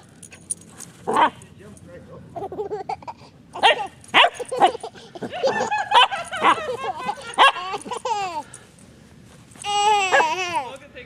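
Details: Cavachon puppy, a Cavalier King Charles Spaniel and Bichon Frise cross, tries to get a child to play and chase her. Short high yips and barks are scattered among a child's voice, ending in a longer whining yelp.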